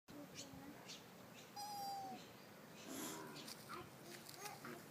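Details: Sika deer in Kuragaike Park, Toyota, Aichi, Japan, recorded on an iPhone 4S; one thin, high, whistled squeak lasting about half a second, steady then slightly falling, amid people talking quietly and background noise.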